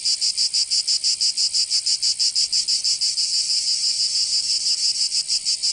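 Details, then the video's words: Summer cicada chorus from Provence in the south of France. A shrill, high-pitched buzz throbs in even beats about five times a second, loud and unbroken, with nothing else audible. "Canto Cigarra 🦗 [ Escuchar les cigarras en verano"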